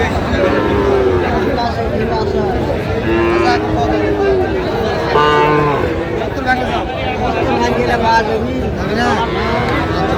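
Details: Sahiwal bull calves at a cattle market in Tangail, Bangladesh, on 18 December: several deep, drawn-out moos overlap throughout, with steady crowd chatter and people bargaining over prices.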